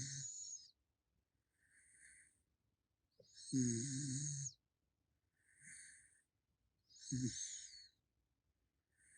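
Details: Pet raccoon Gaeddong-i snoring while asleep: soft, breathy snores in a steady rhythm, roughly every one and a half to two seconds, alternating louder and fainter puffs, some with a low throaty rattle and a hissy upper edge, in a quiet room.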